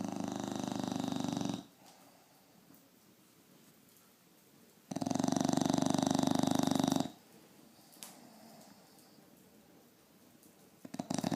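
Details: A sleeping bulldog snoring very loudly. There are two long, buzzy, vibrating snores of about two seconds each, separated by several seconds of quiet breathing, and a third snore starts at the close.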